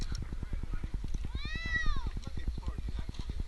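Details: Jinx, an 8-month-old male kitten stranded two nights up a tree in Newark, Ohio, during his rescue: one clear meow, rising then falling, under a steady, fast, throbbing mechanical rumble.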